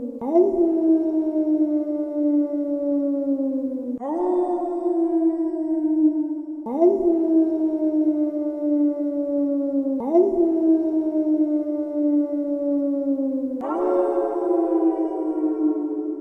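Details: A gray wolf howls over and over, each long tone swelling quickly and then sliding slowly downward.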